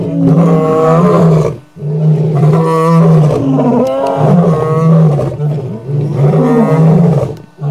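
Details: Male lions of a famous five-strong coalition roar under a full moon in Kruger Park: repeated powerful, deep moaning roars in long bouts, each about one and a half seconds, with brief gaps between.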